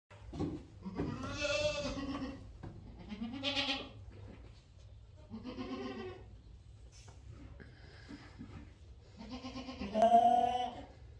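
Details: Boer goats bleating in a series of wavering, nasal calls, four main bleats spaced roughly two to three seconds apart, the last loudest, over a low steady hum.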